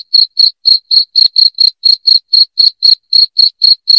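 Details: A loud cricket chirping for driving off rats: bright, piercing chirps repeat steadily about four per second, each brief and ringing, with a clean quiet background.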